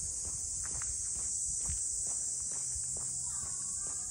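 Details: High, even drone of cicadas over the Ine no Funaya port houses in Ine, north of Kyoto, Japan, with scattered footsteps and low rumbling from a walk through the waterside streets.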